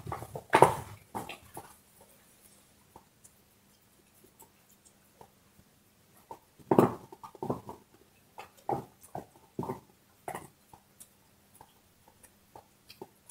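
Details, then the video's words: Dog chewing a bone: a burst of crisp crunches at the start, then a quiet gap of scattered small clicks, then another cluster of gnawing crunches between seven and ten seconds. "Hund kaut Knochen - Dog is chewing bone"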